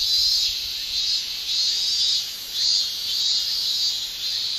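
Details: Male cicadas shrilling in a Japanese summer: a steady high, hissing drone that swells and fades in slow waves roughly every one to two seconds.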